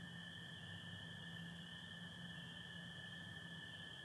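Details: Spring peepers calling in Michigan on the night of April 24, 2025, under stars with some overcast: a dense, unbroken high peeping chorus, with a steady lower trill from American toads running beneath it.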